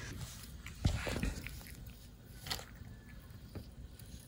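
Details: Dog named Som chewing POLKADOG dried haddock crunchy sticks indoors; a few sharp crunches near the start and middle, then softer chewing, with a person's voice faintly in the background.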